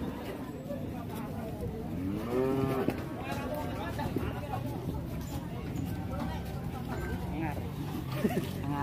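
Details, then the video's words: Loose cow running amok and causing a commotion after entering a roadside shop in Indonesia; a few drawn-out moos rise and fall among loud crowd talk and street noise. "SAPI NGAMUK LEPAS BIKIN GEGER MASUK WARUNG"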